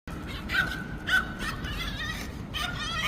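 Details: Retriever mix dog that wants to make friends, from the Korean TV show Animal Farm: a thin, steady high whine held for over half a second, then short, quivering whimpers, with people talking softly nearby.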